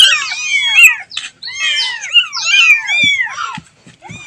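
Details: A kitten calls for its mother with high, strained, overlapping mews that rise and fall quickly, broken by a few brief gaps and soft low knocks near the end.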